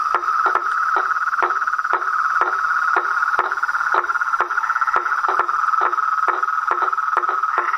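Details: A chorus of frogs, toads and tree frogs in the wild. A continuous buzzing trill holds one pitch while loud, abrupt clicks punctuate it about every half second.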